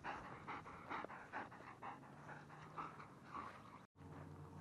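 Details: German Shepherd panting in rapid, fairly regular breaths, soft huffing bursts about twice a second; a steady low hum runs underneath, and the sound cuts out briefly near the end.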